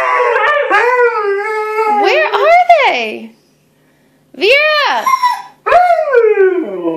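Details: A pair of Siberian Huskies howling to help their owner find the other dogs; wavering, arching howls rise and fall, then stop for a second before two more swooping howls.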